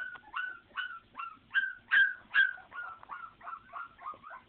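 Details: Puppies yelp in a quick, regular series of short, sharp cries about every half second, each bending down at its end, loudest in the middle and softening toward the finish.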